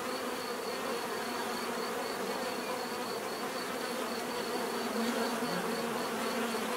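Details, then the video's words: Bees buzzing in a steady, dense hum of many overlapping wingbeats, with a faint high ticking pulse repeating several times a second above the drone. "bees therapy relaxing natural buzzing sound"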